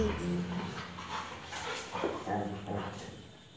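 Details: Two pet dogs, one a Labrador, play-wrestling and biting at each other's necks; low, rumbling growls with steady droning tones throughout, a few sharper bursts, and a person's voice over the top.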